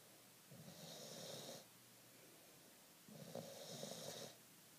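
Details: Two slow snoring breaths, each around a second long with a breathy hiss, from nine-month-old female bulldog Fergie, asleep with her tongue out after a walk.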